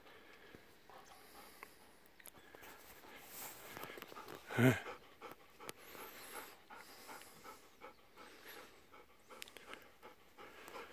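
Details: Two aging Golden Retrievers, Kohaku and Ibuki, catching their breath after running around on a morning walk on freshly tilled soft soil, November 19, 2018. Soft continuous panting with one sharp loud breath burst, over faint outdoor background noise.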